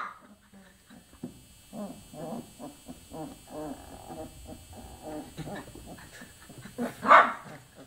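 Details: Twenty-four-day-old chocolate Labrador Retriever puppies whimper in a steady run of short, squeaky whines, many overlapping, then one loud, high yelp stands out near the end.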